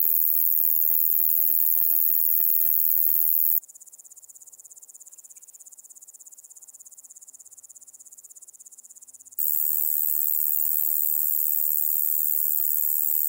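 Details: Large Conehead at Keutschacher See, Austria, 20 August 2021, giving an unbroken high-pitched sizzling buzz of rapid pulses; the song turns much fainter and thinner for several seconds in the middle, then returns at full strength.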